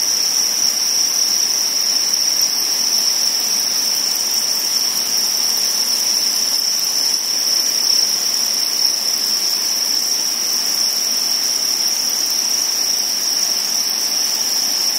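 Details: Crickets while spawning sustain a loud, level, high-pitched ringing, steady and pauseless, with small bright chirps scattered above the main tone.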